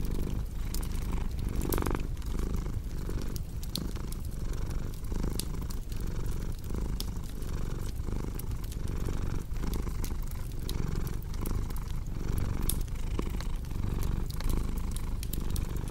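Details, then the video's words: Domestic cat purring beside a crackling fireplace: a deep, continuous rumbling purr that swells and eases in steady breathing cycles, overlaid by sharp, irregular pops and snaps of burning wood. "Purring Cat with Cozy Crackling Fireplace Sound"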